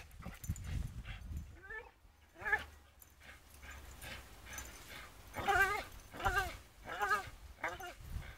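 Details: Charlie, a Staffordshire Bull Terrier, swinging on a rope, with a series of wavering, tonal whimpers and strained whines that grow stronger toward the end, over low rumbling background noise and some human voices.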